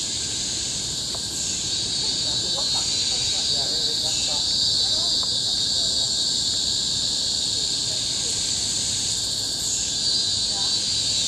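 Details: Steady, deafening high drone from cicadas in the tropical forest of Bukit Timah Hill, Singapore, 2017, with periodic surges in intensity and faint scattered chirps of other small callers low in the mix.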